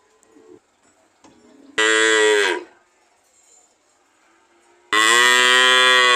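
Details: A cow gives two loud moos: the first about a second long with a falling tail, the second starting abruptly and running to the end, with faint low murmurs in the pause.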